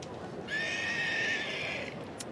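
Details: Two-year-old Welsh Cob filly or gelding whinnying: one sustained, quavering high neigh lasting over a second, with rich stacked harmonics, then a brief tap near the end.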